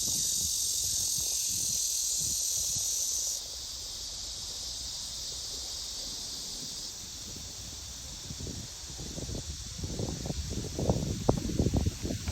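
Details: Midsummer black cicada chorus: a dense, shrill, unbroken buzz that is loudest at first, then softens in two steps, while low thumping and handling noise grow toward the end.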